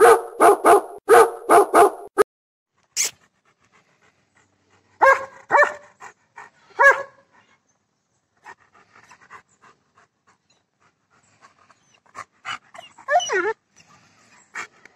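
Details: German Shepherd dog offered for sale in Bangalore, India: a quick run of five barks, then a long quiet stretch with scattered faint yips, soft whines and small noises, and a short whimpering sound near the end.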